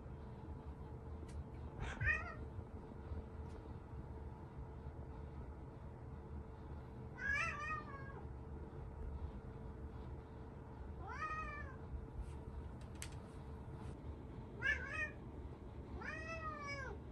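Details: A timid orange tabby cat, indoors, gets a little flustered as a bird arrives outside, giving five drawn-out, wavering meows spaced a few seconds apart over a low steady household hum.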